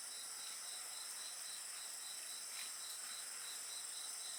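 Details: Brief stretch of insect song with a campfire: a loud, dense wall of very high trilling with a fainter pulsed chirp repeating steadily, plus soft fire crackles.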